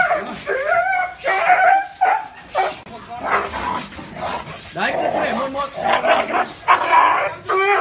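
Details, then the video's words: Dog giving drawn-out barks and whining yelps, described as fearsome, deep and warm, pitch sliding up and down between louder bursts. "Tiếng chó sủa kinh hoàng, trầm, hay và ấm - Tiếng chó kêu"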